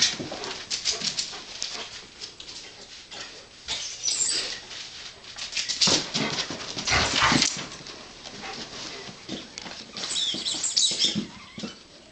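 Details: Two dogs playing together, heard as rough, noisy bursts of growling and scuffling that come and go through the clip. The loudest bursts fall around the middle and again near the end.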